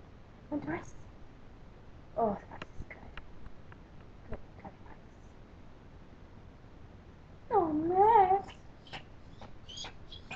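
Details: Max the Pomeranian pesters the owner for rice and cries each time his name is called. Short whimpers, then one longer wavering whine, amid clicks and quiet indoor sounds.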